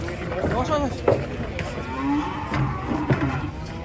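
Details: Raging cattle, a short low steady moo rising out of a noisy scene, with many people shouting and talking close by and thumping crowd noise throughout.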